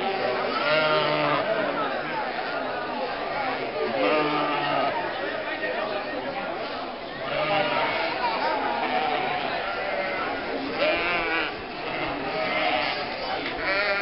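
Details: Nearly 1,000 sheep, lambs and goats driven from winter pasture through the historic market centre and lanes of Mörnsheim, Altmühltal Nature Park, to summer pasture on the third May weekend, 2012; overlapping wavering bleats from many animals amid constant crowd chatter and talking.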